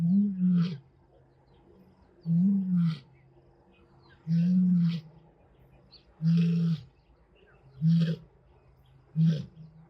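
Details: Lions of the Madrid pride at Blue Canyon Private Game Reserve in summer, fathers teaching two young sons to roar. Deep, low, rumbling grunts come in six heavy bursts, about one every two seconds, over a quiet background.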